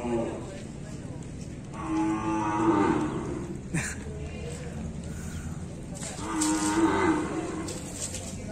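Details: Bali cattle being bathed; two drawn-out moos about four seconds apart, each rich and harmonic and rising slightly before fading, with clattering and water noises between them.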